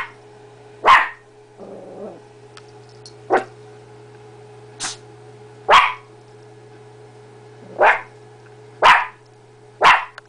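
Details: Female blue heeler-chihuahua mixed-breed dog discovering her reflection, barking repeatedly: about eight short, sharp barks at irregular intervals of roughly one second, with a brief low growl early on.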